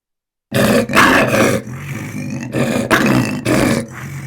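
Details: Lion roaring in a series of loud, rough, deep grunting bursts, each about half a second long, coming roughly every half second after a brief silent start.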